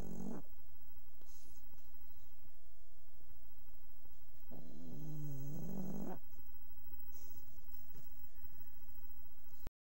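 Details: Sleeping dog snoring softly indoors, recorded without waking her: low, rasping, droning breaths at the start and a longer wavering snore in the middle, with quiet breathing and faint room noise between.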